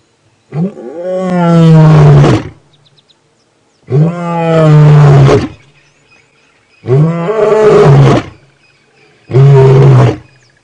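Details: A wounded male lion, in company with a lioness, gives four long, deep, moaning roaring bouts about every three seconds, each a powerful low rumble rising then sinking; recorded on a 28 September 2016 morning safari drive, unusually late for roaring.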